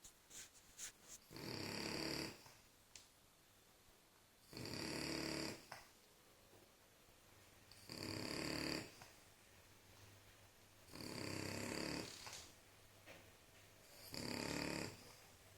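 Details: A French Bulldog snores in harsh, rasping breaths, each about a second long, repeating every three seconds or so.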